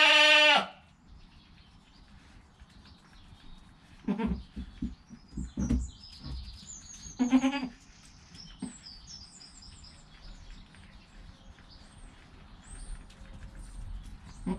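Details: Goat kid in its first hour of life with its mother: one loud bleat at the start, then a mid-clip quavering cry among soft rustling and knocks, mostly quiet afterward.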